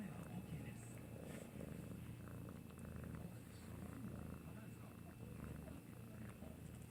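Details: Maine Coon cat purring while licking, a continuous low throaty rumble with rhythmic pulsing, accompanied by faint rustling and quiet indoor voices.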